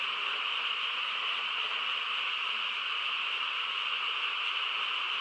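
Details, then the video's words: Massed frogs sing on a peaceful country night, their overlapping voices blending into one even, high droning tone without breaks; no other sounds intrude. "고요한 시골 밤에 개구리 합창 소리"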